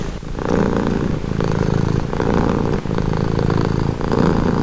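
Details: Close purring of a domestic cat, soothing low buzz pulsing in breath-length bursts, brief pause near the middle, otherwise uninterrupted.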